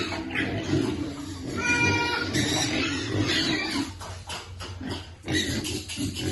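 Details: Piglet waiting for food during feeding, giving low rumbling grunts plus a brief tonal, harmonic squeal near the two-second mark, then clattering and rustling sounds.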